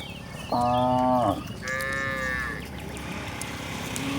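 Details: Two moos from cattle wandering toward a broad grassland: a short, loud, full lowing call, then a higher, thinner drawn-out moo, over a constant low outdoor rumble.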